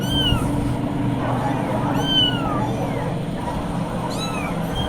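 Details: Kittens giving thin, high meows that rise and fall in clear arcs, about three distinct calls over a few seconds, with people talking and low background rumble.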